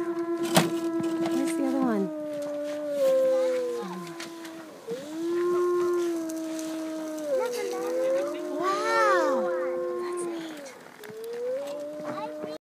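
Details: Several gray wolves (Canis lupus) howl together in long, overlapping tones that slide up and down in pitch.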